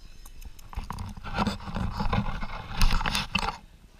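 A dachshund makes rough, breathy growls and snorts in short bursts while playing, with scuffling noise.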